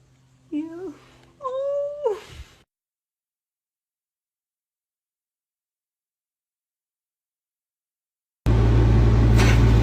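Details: Two harmonic meows from a cat, each wavering at first and then holding steady, the second longer and stronger, followed by several seconds of silence and a sudden burst of loud broadband noise.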